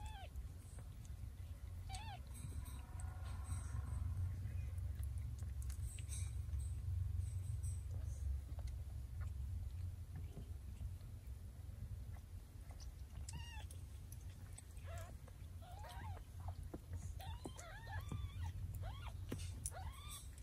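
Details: Mother cat moving her kittens one by one in her mouth, a normal instinctive act of care. Several short, thin, arched mews come at irregular intervals, mostly in the second half, over a low background hum and faint handling noises.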